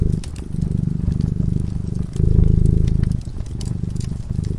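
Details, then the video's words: Cat sleeping in front of a crackling fireplace, purring steadily: a low, buzzing rumble that swells and fades in breaths lasting about one to two seconds, with sharp crackles and pops from the fire scattered above it. "Purring cat"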